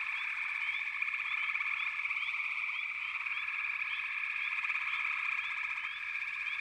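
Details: Backwater frogs fill the air with a steady, dense trilling drone; short rising chirps repeat over it several times a second in an even, busy rhythm.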